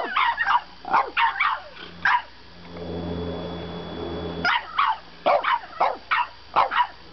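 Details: French bulldog puppy arguing at bedtime: bursts of short, sharp yipping barks in quick clusters, a quiet pause with low steady hum, then more rapid barks roughly every half second.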